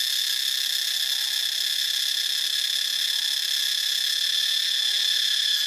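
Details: Cicada singing in Ubon Ratchathani, Thailand, a steady, intense high-pitched buzz that does not let up, with only a faint, even texture and no other clear sounds.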